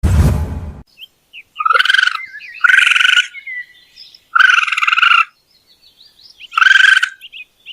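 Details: Raccoon giving four loud, pulsed, harmonic trilling bursts of under a second each, separated by short gaps with faint thin whistles, after a brief low rumbling noise at the start.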